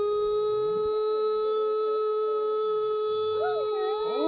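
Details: One sustained, flat, pure-toned wolf howl runs through the whole stretch, with fainter wavering voices of other wolves sliding up and down beneath it.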